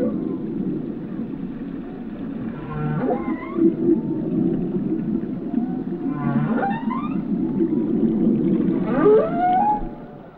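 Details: Repeated rising whoops of whale song, three sharp upsweeps roughly three seconds apart above a continuous low rumbling hum.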